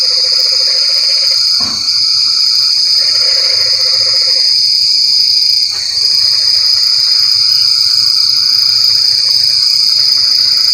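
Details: Rain-night frog chorus of low, buzzy pulsed croaks in bursts of a second or two, alternating with higher rattling trains. A continuous shrill insect hum fills the background.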